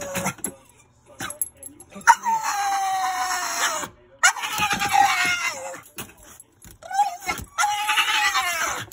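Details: Rat Terrier put in its kennel to calm down while a person is downstairs, indoors; three long, loud, strained scream-like cries of one to two seconds each, slightly falling in pitch, separated by short pauses.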